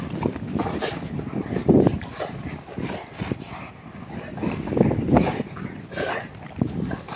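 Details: Agile brindle Spanish Mastiff in quick motion gives several short, low, gruff bursts spaced a few seconds apart, with rustling and background noise between them.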